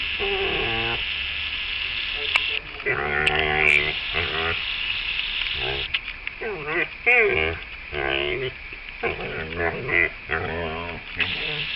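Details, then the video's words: Playful female dog giving strange sounds during a game: short, warbling groans and moans with bending pitch, clustered in the middle and later seconds, over a constant hissing, sizzle-like background. "playing dog making funny noises!"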